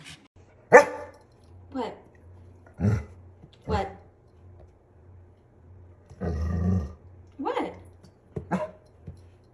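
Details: A pet dog makes short, grumbling, bark-like vocal bursts in an irregular series of about eight, over a low droning hum, with a longer rough noisy burst midway.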